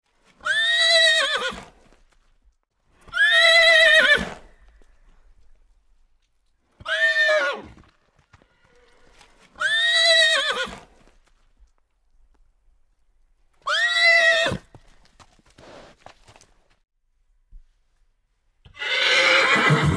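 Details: Horse whinnies loud and clear, five descending neighs with rich harmonic stacks spaced a few seconds apart, each about a second long, ending in a burst of broadband noise like a snort; no other sounds.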